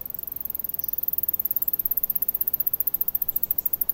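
A male Alston's singing mouse sings a rapid, very high trill of rising loudness, answering a rival male.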